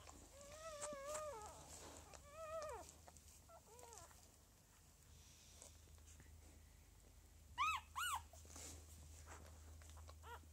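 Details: Whimpering Lagotto Romagnolo puppies of a home-bred second litter ("N", 06.01.2015): drawn-out wavering whines, then shorter ones, then two sharp rising squeaks near the end, over a constant low background hum.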